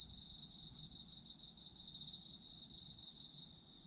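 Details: Autumn insects singing in a short burst: rapid high ringing trills layered from more than one caller, steady and unbroken, fading slightly at the very end.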